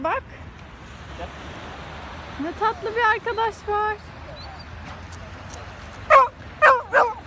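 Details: Pumpkin, a pet Rottweiler puppy filmed while growing up to six months old, gives a burst of high, harmonic yips in quick succession mid-clip, then three sharper barks near the end over faint room noise.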